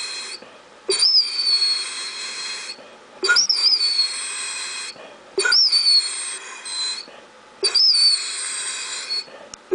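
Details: Otto, a Basset Hound indoors at supper, begging for ravioli: long, high, whistle-like whines that slide slightly downward, each lasting about a second and a half, repeating roughly every two seconds with short breaths between.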